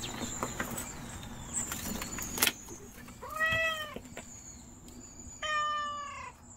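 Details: Timid stray mother cat named Nureongi meowing outdoors: two drawn-out, harmonic-rich meows about two seconds apart, preceded by clattering noises and a faint steady high hiss in the background.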